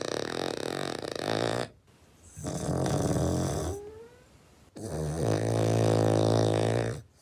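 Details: Cavalier King Charles Spaniel snoring: long, loud, rasping breaths with a droning, layered tone, in two drawn-out bursts separated by quieter pauses, one gap holding a short rising whistle.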